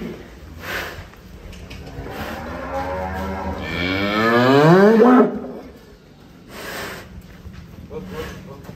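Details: Large fattened cattle being loaded onto a truck in Indonesia moos loudly: a long, rising, strained bellow swelling over about two seconds then cutting off, with background music and people nearby.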